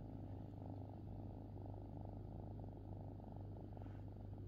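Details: Kitten purring with a soft, steady, rapidly pulsing rumble beneath a constant low electrical hum.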